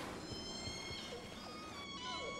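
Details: Orca calls recorded by hydrophones at the VENUS underwater observatory in the Strait of Georgia off southern Vancouver Island, British Columbia: steady, harmonic tones over a rumbling ocean background in a busy shipping lane.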